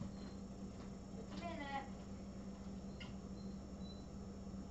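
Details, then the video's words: Little kitten giving one brief, clear mew that slides downward in pitch, with a faint click afterwards, over a steady low indoor hum. "Little kittens"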